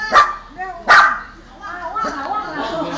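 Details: Dog barking when strangers are present: two sharp, loud barks about three quarters of a second apart, followed by a person talking.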